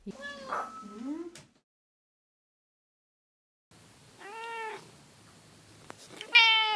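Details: A pet cat, one of three in the same household that each have their own distinct voice, gives short harmonic meows, one arching and one rising, separated by a long silent gap before a louder final call.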